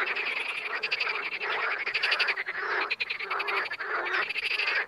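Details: Dense chorus of wild frogs, rapid pulsed croaks repeating irregularly, around a hundred per minute, layered over a continuous buzzy background of further callers.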